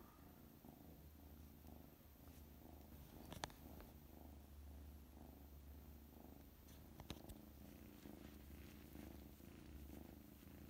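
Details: A kitten home from surgery for pectus excavatum purrs steadily on a Wednesday afternoon, a low continuous rumbling throb that pulses with each breath, while fighting off its sweater.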